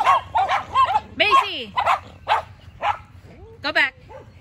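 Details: Macy, a Yorkshire Terrier, trades barks with the neighbour's two dogs: high yappy barks, some with rising and falling pitch, in quick irregular bursts about every half second.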